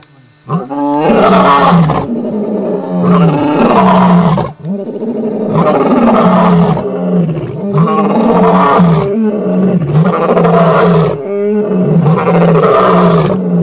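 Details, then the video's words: Dominant male lions of a famous coalition of five in Kruger Park roaring at the full moon: loud, deep, overlapping roars in long bursts, several voices together, repeated roughly every two seconds with brief gaps between. "Dominant Male Lions roaring at the full moon"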